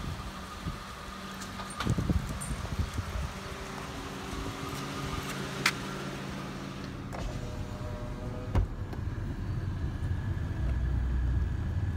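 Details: Car sounds fill the scene: a low engine rumble, power windows whirring, keys jangling and a door thudding shut around eight seconds, with no animal voice heard.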